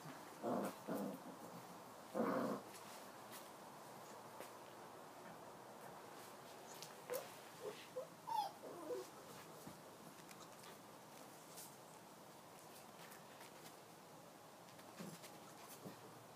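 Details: Young Tibetan Mastiff puppies from Kyang La, born 14 November 2016, on 22 December 2016: a few short growling yelps early on, then sparse soft whimpers and squeaks amid long quiet stretches with light rustling.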